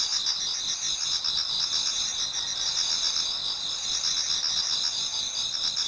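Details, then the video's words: Many insects singing in a Japanese garden as autumn night turns to dawn, a constant high-pitched wall of trilling and fast pulsed chirps, level and unchanging. "Autumn Insects voice Towards dawn"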